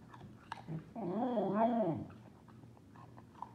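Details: A female Pembroke Welsh Corgi named Willo lets out a food "awoo" while eating, indoors in Phoenix, Arizona. A low, wavering howl about a second long wobbles up and down in pitch, with soft chewing clicks before and after.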